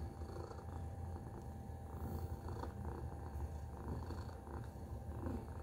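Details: A pet cat named Tacy purring close up: deep, even vibration sustained throughout, with slight swells in loudness and small handling noises.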